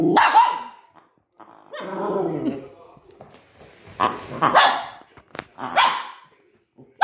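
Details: Cookie the Maltese, meeting a new toy for the first time and scared of it, lets out a sharp bark, a low rumbling growl, then a cluster of quick high barks.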